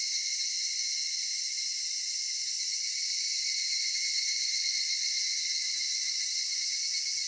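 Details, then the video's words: Summer-evening cicada chorus in a cedar forest: an unbroken, even wall of shrill buzzing tones in several bands, with faint low rustling underneath toward the end. "夏夕暮れ杉林 セミの鳴き声"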